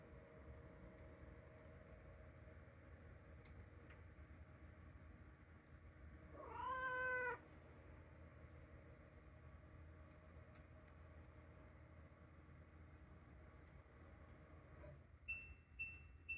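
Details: Three-year-old calico cat, long standoffish and now growing used to people, gives one clear drawn-out meow that rises and falls over about a second, indoors and otherwise quiet, with faint clicks near the end.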